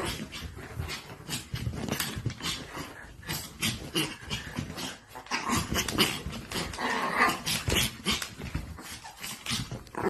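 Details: White micro teacup Pomeranian puppy indoors, making a steady run of rough, breathy growling and soft whimpering noises that go on without a break for ten seconds, with little pause between sounds.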